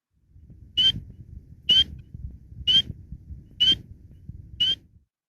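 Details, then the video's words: A spring peeper gives its loud, clear, slightly rising spring peep, roughly one every second; the species is noted as also able to produce a trill-like call. "Now, many of you may have heard the call of the spring peeper before, because they are known for their really, really loud peep in the spring."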